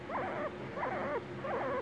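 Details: A male pet guinea pig "talking" gives three squeaky, wavering calls in quick succession, each wobbling up and down in pitch.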